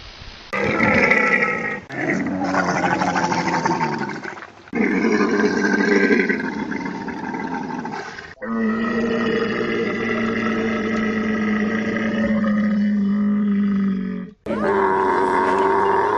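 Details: Camels roaring and groaning in several drawn-out, throaty, harmonic calls, some rasping and others a steady low drone, separated by short gaps.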